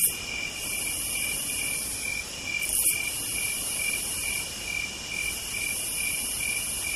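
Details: Cicadas singing on a southern night: a continuous, high, steady buzzing drone with a brighter shimmering band above it that swells and fades every second or two, and a brief louder burst near three seconds.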